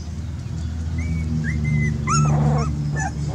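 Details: Dog whimpering in a few thin, high whined notes, each bending up then down, spaced irregularly over about three seconds against a steady low droning rumble.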